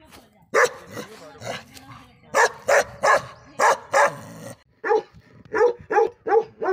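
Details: Bakarwal dog barking repeatedly, strong rough barks at uneven spacing, softer low sounds between them, closing with a run of shorter, clipped barks.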